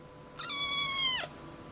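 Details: Domestic cat with a changing voice, heard as a kitten: a single clear meow lasting under a second, steady tone with many overtones, dropping sharply at the end; quiet room background.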